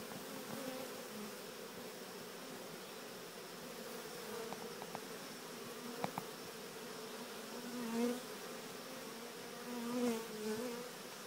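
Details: Swarming honeybees walking their way into a Cathedral Hive with a little guidance; low, steady droning buzz with a few faint clicks, and single bees swelling loudly past the microphone around eight and ten seconds.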